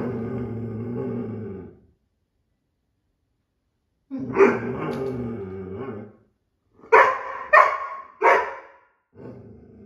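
An Irish Setter gives drawn-out moaning vocalizations, then three quick, sharp barks.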